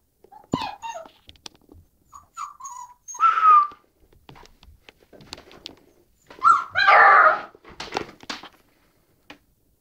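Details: Puppy whimpering indoors while falling down the stairs: two short, strained, harmonic yelps a few seconds apart, with a person calling and coaxing it in between.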